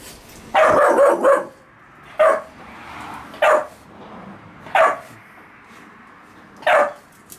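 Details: Puppies with a dog named Gunnar in a kennel; a quick burst of three or four barks, then single sharp barks about every one to two seconds, five bursts in all over quiet background.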